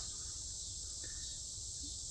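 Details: Cicadas calling on a mid-August 2025 night in a forest preserve south of Chicago: a continuous, even, high sizzling drone, quieter than before, with a faint low rumble and one brief soft tone.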